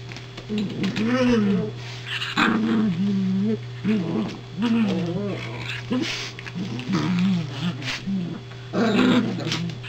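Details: Toy Poodle, one of two household dogs, near a newly delivered soft crate; repeated high, wavering nasal whines rising and falling in bursts about every second or two, over a steady electrical hum, with some voices nearby.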